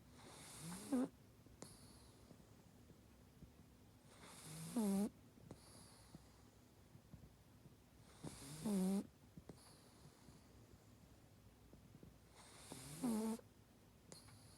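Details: Sleeping pug snoring in a steady cycle, about every four seconds: a rasping, rising snort on the intake, then a quieter hissing breath out, four breaths in all.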